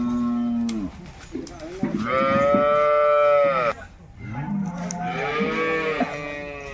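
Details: Two long bellowing moos from Jersey cattle at a wholesale cattle market. The first is steady and loud, the second slightly softer, and they are separated by a short pause with scattered clanks and background bustle.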